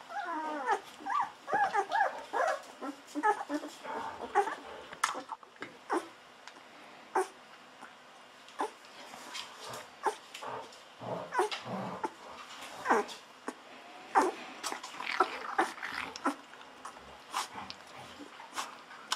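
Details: Very young Golden Retriever puppies, aged 11 to 13 days, open with a cluster of high wavering whines, then scattered short squeaks and soft grunts continue irregularly, with faint clicks and handling noise.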